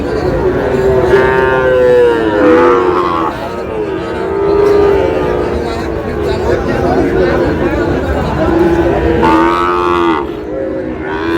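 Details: Sahiwal bull calves at a cattle market in Tangail on 20 August, bought by a local farmer: several overlapping low, drawn-out moos with rising and falling pitch, amid crowd chatter and people haggling over prices.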